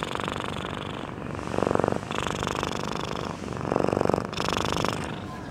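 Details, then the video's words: Sleeping domestic cat snoring loudly at close range, two rasping, buzzy inhalations about two seconds apart, each breath rising then fading with a grainy rattle, quiet room background. "sleeping cat snoring"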